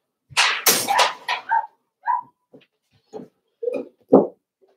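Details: Four-week-old Cavalier King Charles Spaniel puppies indoors in a puppy pen, being socialized with other dogs: rough broadband yelps at first, then short, thin whimpering squeals and grunts in scattered bursts, with quiet gaps between.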